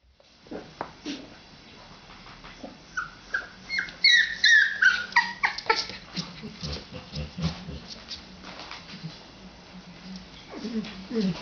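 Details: An 18-day-old male Labrador Retriever puppy gives a run of short whimpers and squeaky whines, some sliding downward in pitch, crowded together at mid-clip then thinning out, with rustling handling noise and a brief human murmur.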